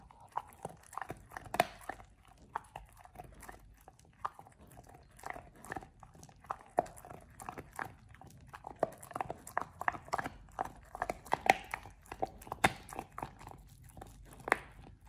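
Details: Oliang the Pit Bull chews a raw ostrich paw, his first time with one, indoors: long run of scattered crisp bites and crunches, irregular clicks over a low quiet background.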